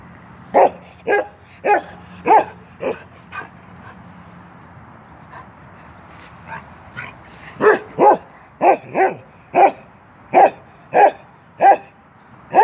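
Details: Keweenaw, a 10-month-old male Norwegian Elkhound, playing through a fence: sharp barks in two bursts, about six at the start, a quiet gap, then a faster run of eight or nine. A low growly rumble runs beneath the early barks.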